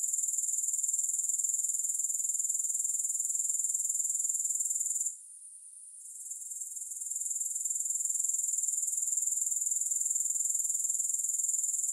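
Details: Grasshoppers calling, no music: a sustained thin, metallic chirr pulsing around four times a second, falling silent for about a second near the middle before gradually building back to full strength.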